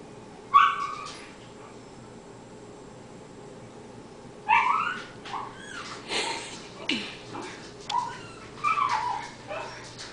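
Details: Cairn terrier going wild while watching a squirrel play in about eight inches of snow; short high yips and whimpering bursts, one early then a cluster of several from mid-clip onward, with quiet background hum.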